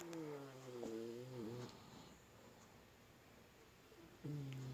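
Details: Puppy snoring indoors while asleep: a drawn-out, tonal snore with a wavering pitch runs for over a second, followed by quiet, then another snore begins near the end.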